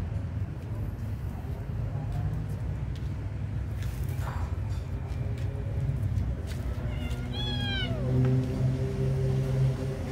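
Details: Kitten meowing while being fed: one clear, bright, arched meow falling away near the end, after faint earlier cries, with constant low-pitched background hum throughout.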